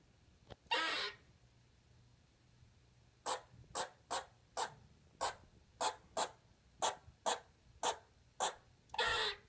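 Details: Lexi, a pet squirrel, vocalising for the first time indoors: a breathy hiss, then a series of about eleven short sharp chirps at roughly half-second spacing, closing with another drawn-out hiss.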